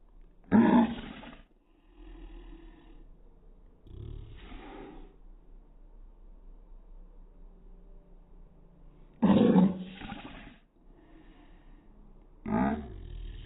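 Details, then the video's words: Pug barking, slowed down to slow motion: four deep, drawn-out, roaring bursts, each about a second long, spaced several seconds apart, with a low murmur between them. "Pug barking in slow motion. Weird sound!"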